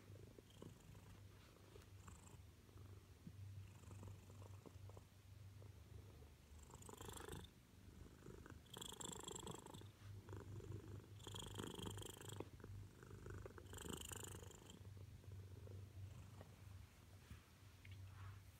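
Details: Loud purring from a female Siamese housecat seeking attention: a constant deep vibrating rumble, interrupted by several brief bursts of hissy rustling, likely fur or movement, roughly every two seconds midway through.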